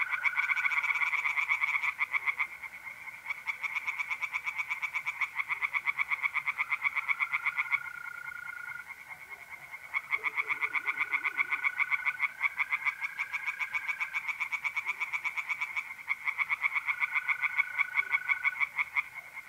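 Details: Tree frogs in a north-east Italian pond sing through a mid-April night, sustained rapid croaking pulses in waves with brief drops, while mole crickets keep up an unbroken high trill and a faint lower wavering call appears midway.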